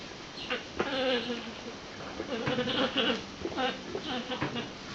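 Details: Female alpacas give a series of nasal, bleating calls with a wavering, harmonic tone.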